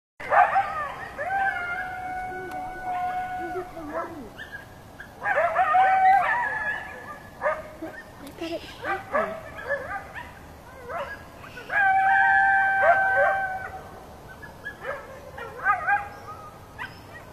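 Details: Several coyotes howling, heard from a balcony: long, wavering, tonal howls overlap in bursts near the start, around five seconds and around twelve seconds, mixed with short yips and quavering cries between them.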